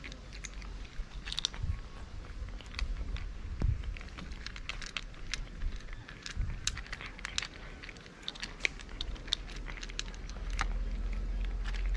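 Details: Crunchy chewing and crackling food sounds over a low background rumble, with no animal calls.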